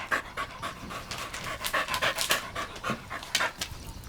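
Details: Golden Retriever puppies playing, running and exploring outdoors in a green meadow; rapid, breathy, irregular panting, a steady stream of short huffs, with no other clear sounds.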